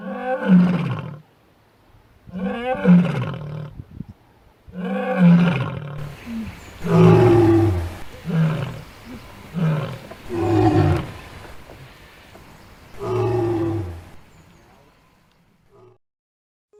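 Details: A lioness roars in deep, powerful bursts, several long calls spaced a couple of seconds apart; lion (Panthera leo) roar signals presence, keeps pride contact, defends territory.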